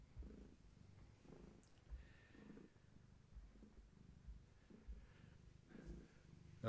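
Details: Pregnant long-haired tabby cat named Gaia, heavily expecting many kittens and with active kittens inside, purrs contentedly indoors; low rhythmic purr swells roughly once per second, each breath a soft rumbling burst, with light rustling.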